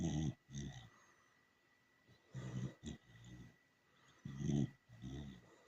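A dachshund snores in low, rumbling, raspy bursts, often in pairs, roughly every two seconds.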